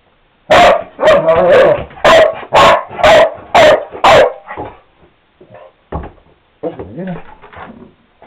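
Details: Cardigan Welsh Corgi barking indoors because it wants to go outside: seven loud, sharp barks about half a second apart, then quieter whines and softer vocal noises trailing off.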